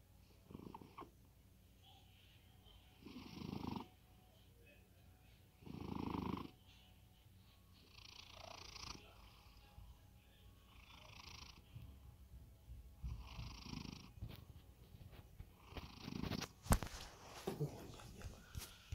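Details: Cat deep asleep and snoring, with low rumbling breaths recurring every few seconds that grow softer and less regular. Scattered clicks and rustling handling noises crowd the final seconds.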